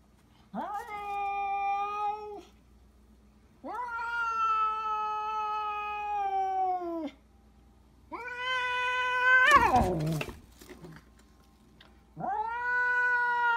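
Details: Domestic cats giving four long, drawn-out, clear meows, each holding steady before sliding down at the end, with a brief clatter near the third call and a quiet room behind.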